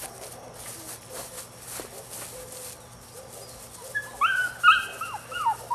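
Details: Male puppy, nine weeks old, from a Rodin/Katana litter, gives a quiet background stretch and then a burst of high, sliding whines and yelps in the final two seconds.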